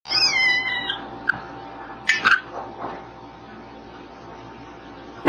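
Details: A cat making a wrong-sounding noise: a brief, high, wavering harmonic cry at the start, then a thin squeak and faint scuffs over a steady hum, ending with a sharp knock.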